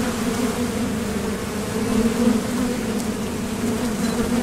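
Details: Continuous hum of honeybees coming and going at a Top Bar Hive entrance on foraging flights, a dense low buzz with layered harmonics and small rising surges as individual bees fly close.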